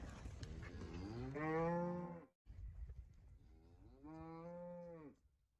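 A cow gives two long, low moos, each swelling upward in pitch, then holding steady.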